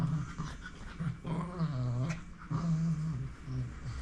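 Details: Dog growling indoors, a low steady rumble broken by brief pauses near the middle and again later, with faint rustling and soft thumps in the room.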